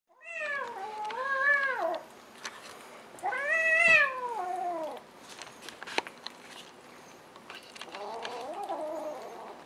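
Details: Domestic cat meowing: two long, loud wavering meows with rising then falling pitch, each about one and a half seconds, followed by a softer, lower meow near the end, in a small quiet room.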